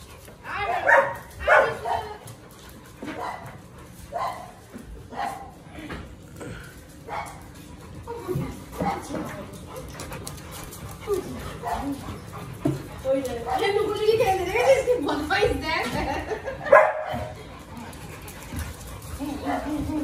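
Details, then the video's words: Siberian Husky howling in the morning indoors, setting off sudden chaos in the house; short wavering howls and yelps repeat irregularly, growing busier and louder toward the end, with other dog voices and people talking underneath. "Husky howling total caos in the house"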